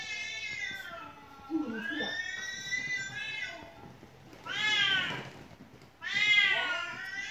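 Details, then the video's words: House cat indoors that keeps meowing nonstop, played a recording of cats meowing: drawn-out, wavering meows, one long falling cry then two loud rising-falling meows about a second apart, in a quiet room. "แมวที่บ้านร้องไม่หยุด1 เลยเปิดคลิปแมวร้องให้ดู"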